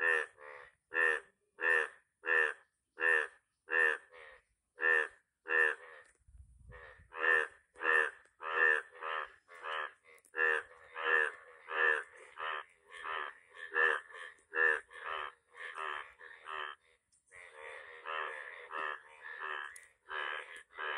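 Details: A yellow frog gives clipped, reedy, nasal croaks in a quick, even series, one or two each second; later the notes crowd and overlap, as if a second frog calls alongside.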